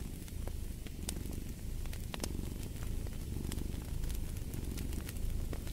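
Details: Deep, even purring from a cat hums underneath irregular bright pops and crackles of a wood fire, the rumble surging slightly with each breath.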